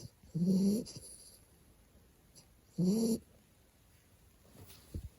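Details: Sleeping two-month-old American Bully puppy giving two loud, tonal, rising snores about two seconds apart, each lasting under a second, followed by quiet breathing and a faint final snort.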